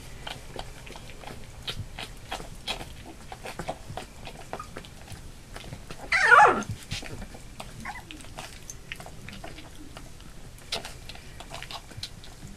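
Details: Labrador Retriever puppies almost three weeks old, eight in the litter, moving about; a single loud, wavering whine rings out midway, surrounded by soft clicking paws and rustling.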